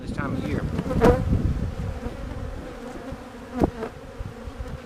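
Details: Western honey bees buzzing at a hive split under inspection by the beekeeper, a dense low continuous drone with a few sharper clicks and knocks from handling the hive.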